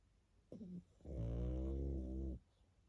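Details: Sleeping pug puppy giving a short snuffling breath followed by one sustained, deep, buzzing snore lasting over a second.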